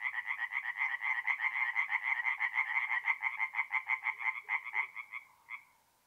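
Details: Singing tree frogs at a forest pond by night in mid-April in North-East Italy; a quick train of harsh, clacking pulses, about four per second, that slows and stops near the end with one last note.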